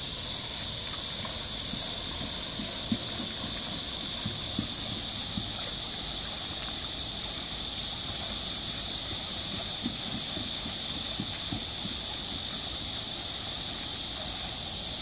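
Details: Cicadas give a dense, unbroken, shimmering high buzz over constant splashing and gurgling from a turning waterwheel at Namsangol Hanok Village, Seoul, South Korea, on 12 August 2024.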